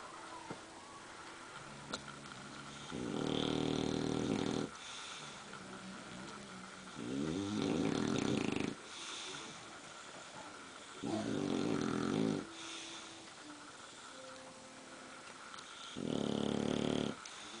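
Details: Bulldogs snoring while sleeping standing up, regular rasping snores of about one to two seconds each, four main bursts spaced roughly four seconds apart over soft room noise.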